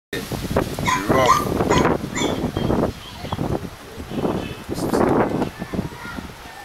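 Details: A pair of Doberman Pinschers at a kennel in Arnos Vale, St. Vincent and the Grenadines. Rough, broadband barks and growly bursts come in quick clusters, with a louder run near the start and another about two-thirds through.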